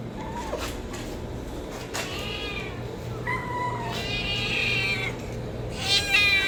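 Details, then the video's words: Kitten of a homeless domestic cat meowing for food: several harmonic, wavering meows, some drawn out and bending in pitch, separated by short pauses against a steady low background hum. "homeless Cat's kitten meowing sound effect | Cats meowing for food"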